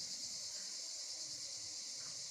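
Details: Cicadas give a loud, continuous, shrill, high-pitched buzzing drone at 7 a.m. in hot sun at the port of Carqueiranne, Var, southern France, during the summer holidays.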